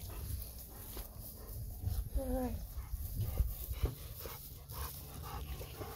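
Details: Golden Retriever named Bis greeting and appealing to grandpa as he cuts overgrown weeds in a farm field; one short whine rises and falls midway, with panting and snuffling around it, a human voice, and a steady low engine rumble.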